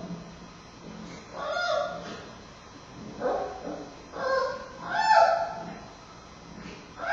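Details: Fussy male giant panda cub Bei Bei struggles to latch on while nursing from heavily breathing Mei Xiang at Smithsonian's National Zoo, October 2015 afternoon; a run of wavering, nasal squeals and whines rises and falls, loudest near the end.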